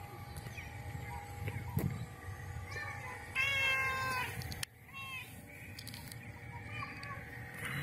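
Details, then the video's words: Black cat with white spots meowing because it knows it is feeding time, asking for food; a few drawn-out, wavering meows with one louder rising-falling cry in the middle, over a steady low hum and background noise. "LINDO GATO negro y de pintas blancas MAULLANDO por comida"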